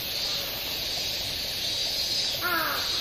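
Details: Minmin cicada recorded at Oshoro Beach, Otaru, Hokkaido, Japan, on 21 August 2012; a steady, shrill, high-pitched insect drone fills the whole clip, with a crow cawing briefly near the end.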